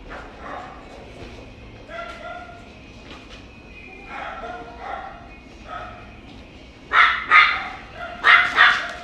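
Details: Bichon dog; soft yips and whines at first, then two loud bursts of sharp, high barks near the end, with quiet room background between.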